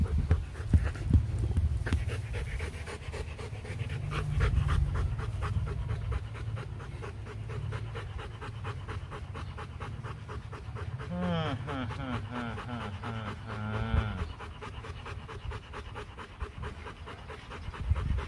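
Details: Rottweilers at a kennel in Vietnam during mating of champion Loki with a female from Hưng Yên; steady quick panting throughout, broken midway by a wavering high whine lasting a few seconds, over low background rumble.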